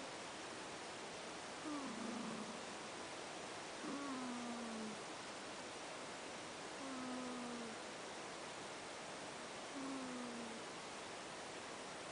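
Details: A sleeping house cat named Ash snores in four whistling, gently falling breath tones, spaced about every three seconds over steady low background hiss.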